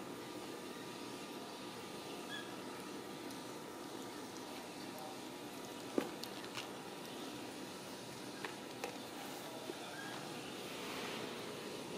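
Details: A quiet indoor room hum is broken only by a few faint clicks and taps, with no clear animal voice.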